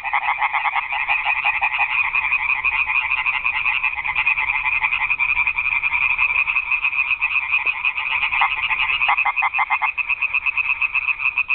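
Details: Many frogs croaking together after dark in a garden pond, a thick, harsh, rapidly pulsing chorus; near the end a few individual callers stand out as sharper, separated bursts.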